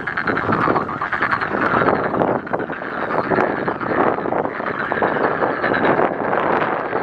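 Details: Dense chorus of many frogs at Jangjamot Wetland Park, overlapping croaks blending into one unbroken rasping din, slight swells in loudness, low background rumble present.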